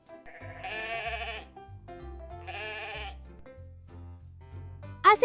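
A goat gives two wavering, nasal bleats that sound almost like laughter, over light music.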